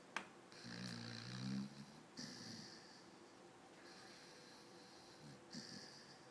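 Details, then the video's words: A dog snoring in its sleep, with twitching: a few slow, rough inhaled snores separated by pauses, each carrying a faint whistling overtone, in a quiet room. "Snoring Dog"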